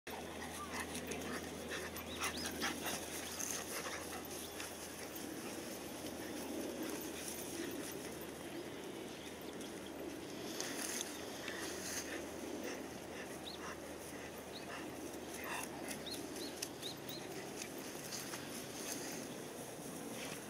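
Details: Golden Retrievers, including 237-day-old puppies, on a morning walk together in December, pant steadily in quick, breathy rhythms, with a faint whimper now and then.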